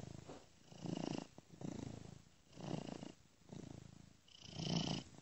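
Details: Domestic cat purring while sleeping, looped and panned from ear to ear by software; low rumbling purr in swelling bursts about once a second, each fading back between breaths, with faint higher hiss on some bursts.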